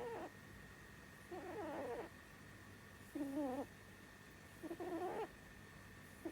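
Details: Pet rabbit Sumi, a female that has snored in her sleep since she was small, sleeping indoors; wavering, nasal whistle-like tones with bright harmonics rise and fall in short bursts, roughly every one and a half seconds, over a quiet steady hum.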